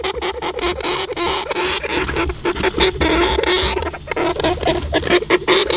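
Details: European hamster. A European hamster makes brief, high-pitched squeaks and chirps in short bursts. Dry scratching and rustling sounds run almost continuously beneath them.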